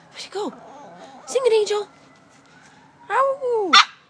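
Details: A toy poodle sings along with a fire truck siren, giving short, arching howls that rise and then slide down, with a person's voice nearby.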